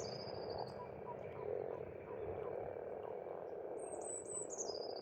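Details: Spring pond frogs on an Estonian farmstead croak together in a steady rolling chorus, joined by a high falling whistle early on and a longer wavering bird phrase toward the close.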